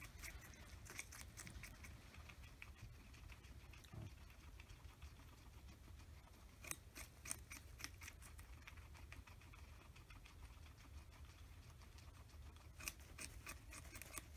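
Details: Two pet guinea pigs, Oreo and Buttercup, feast indoors on an oversized cucumber over three days; quiet crisp crunching and clicking bites come in irregular bursts, with soft low rumble underneath.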